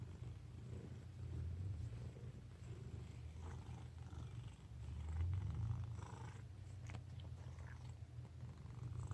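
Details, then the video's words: Sleeping fat house cat snores with a steady, low rumbling drone of rapid pulses, about four per second, swelling gently in loudness and fading back, with faint rustles in a quiet room. "Fat cat snoring"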